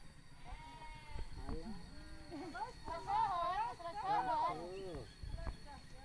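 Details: Sheep at mating time in Sirna Rasa village give two wavering, tremulous bleats in quick succession, each roughly a second long, with people talking before and after and a steady low background hum.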